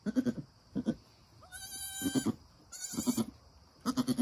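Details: Nigerian Dwarf mother goat with her newborn doeling kid just after birth, encouraging the kid as it stands and begins nursing. Soft, low pulsed grunts come in short bursts, broken by a brief, higher, harmonic bleat midway and a buzzy, nasal call.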